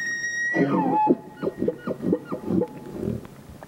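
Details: Bull elk in mating season finishing a bugle: a high whistle sweeps downward, then about five or six rough grunting chuckles follow at roughly two per second.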